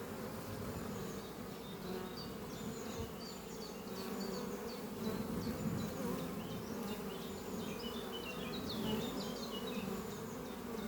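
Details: Spring-morning buzzing of honey bees at hive Doppio, a horizontal oak-chest hive beneath trees, foragers carrying pollen home: dense continuous drone of many wingbeats, slightly swelling and fading, with a chorus of distant birdsong overhead.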